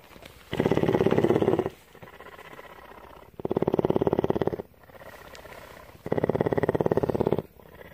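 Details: Female cougar, a captive mountain lion in Bridgeport, Texas, purring in a strong rhythm. Three long, loud rattling bursts of about one and a half seconds each alternate with quieter, softer purring between them.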